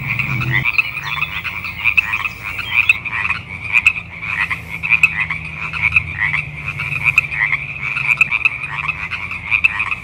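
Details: Sierran chorus frogs call together in early spring in the Pacific Northwest or Northern California, a thick, unbroken chorus of short, raspy, two-part croaks that overlap and pulse without pause over a faint low mechanical hum.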